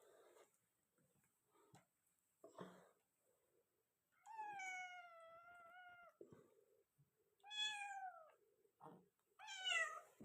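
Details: Persian kittens at play give several clear meows: a long, level, slightly wavering mew, then two shorter falling meows, with soft thumps and rustles of play between calls.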